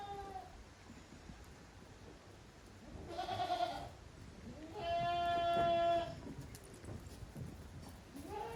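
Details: Young goats playing vigorously on the farm's exercise ground, Yoshigake goat farm, 30 April 2023. Several bleats: a wavering quavering cry, then a longer steady bleat, with short calls at the start and end over light background noise.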